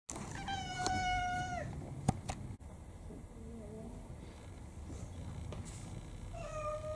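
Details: Pet cat, a roughly twelve-year-old Maine Coon-like mixed breed, on a rainy day: one drawn-out, slightly falling meow with rich harmonics, then a short second meow near the end, with soft clicks and faint room noise.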